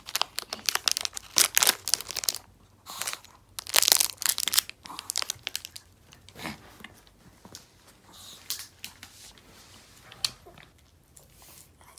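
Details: Loud crunching, crinkling and tearing bursts in a small room fade into softer scattered clicks, with no bark or other animal voice.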